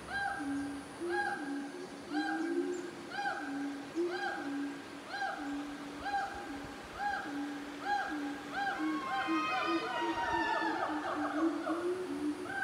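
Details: Siamangs calling in the North Sumatran jungle, Indonesia, with steady hooting notes and then a burst of higher, rising, swooping cries.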